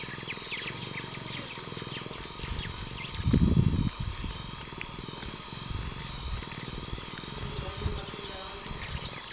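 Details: A baby cheetah being groomed with a tongue bath gives a brief, low, rough vocal burst over a soft purring rumble.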